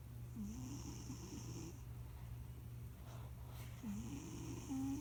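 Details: Two drawn-out, gravelly snores from Leon, the fat family cat nicknamed Debunyan, dozing at home; each rough breath wavers upward with a hissing edge, separated by a quiet pause, against a low appliance hum.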